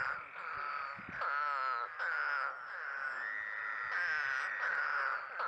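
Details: Eastern spadefoot toad, a frog heard after heavy spring rain, giving long, low, groaning moans that waver slightly and overlap one another, each lasting about a second or more with little pause between.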